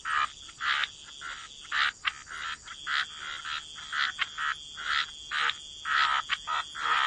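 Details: Wetland frogs by the water giving short, rasping croaks in distinct bursts roughly every half second, several callers alternating at slightly different pitches, softer than a full chorus, with a faint high steady hum behind.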